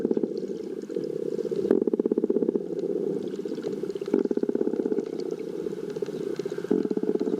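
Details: A pod of common bottlenose dolphins hunting 100 m off the beach in north Santa Monica Bay, California, late afternoon at high tide on 21 July 2022, makes rapid echolocation click trains that rise into buzzing bursts.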